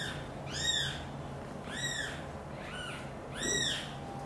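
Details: Loud, high-pitched meows, four in about four seconds, each arching up then down with bright overtones, heard as mother cat Xaxa answers a kitten's loud meowing and moves kittens Miracle and Cream to her nest; faint background hum.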